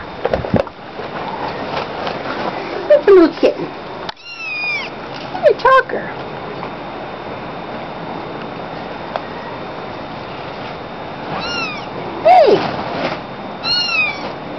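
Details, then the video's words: Tabby munchkin kitten, a talkative youngster, gives scattered thin high meows, a couple in quick pairs near the end, with long quiet gaps, a soft thump, and occasional human speech. "tabby munchkin kitten talking"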